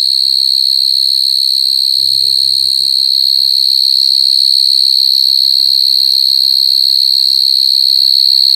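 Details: Coconut cricket crying: a loud, unbroken high-pitched trill holds one steady pitch with faint overtones above it for the whole clip, while a brief low voice-like murmur appears near the middle.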